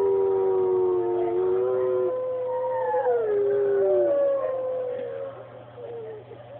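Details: A dog howls in long, drawn-out tones that slide up and down, with a strong steady tone and clear overtones for about five seconds before fading into a quieter, wavering tail. A low steady hum runs underneath.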